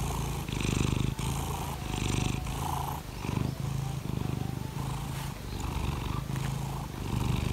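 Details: Laimi, a pet cat asking to be stroked in the morning, gives a deep throaty purr in regular breath-length bursts, each a dense rumbling vibration with short pauses between.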